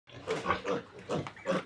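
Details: Pure native pig piglets during weaning from their sow; a quick run of short, rough grunts and squeals repeated several times within under two seconds.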